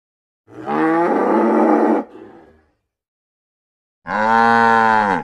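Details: Cow mooing: a loud harmonic bellow of about one and a half seconds, trailing into a quieter rough tail, then silence and a second strong moo starting near four seconds.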